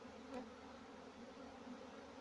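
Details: Honey bees at a bee farm in Pakistan, giving a steady low droning hum with an even tone and a second, higher layer above it, unbroken throughout.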